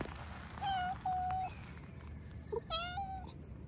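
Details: Chatty black cat out on a walk, meowing at a person who greets it: two flat, sustained meows back to back, a short pause, then a longer meow that dips and levels off, over low outdoor hum.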